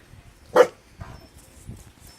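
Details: Staffordshire Bull Terrier giving a single sharp, short bark in response to a strange noise, followed by quiet low rumbling background.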